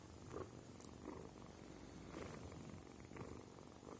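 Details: Kitten Sima purring close by, a soft continuous rumble pulsing with each breath in and out, about one cycle every two-thirds of a second, over a quiet room with slight handling noise.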